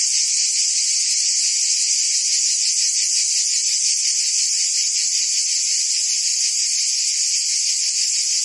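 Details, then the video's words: Cicadas chorusing in summer in Provence, France, an even, piercing high drone with quick pulsations about three times a second and a faint low tone late on. "Cicadas singing in France (Provence)"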